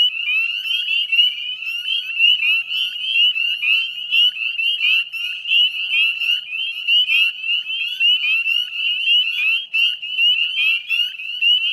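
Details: Spring chorus of northern spring peepers in the wetlands of West Chezzetcook, Nova Scotia, Canada, recorded at dusk on 18 May 2020; shrill rising peeps from many frogs merge into a steady, pulsing high-pitched drone.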